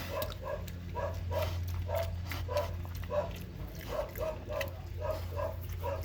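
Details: A pig on a Hungarian farm gives short, rough grunts in quick succession over a steady low mechanical hum.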